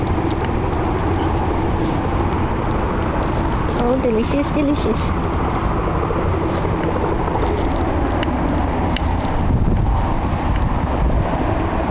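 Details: Steady low vehicle rumble with faint voices, and no animal sound.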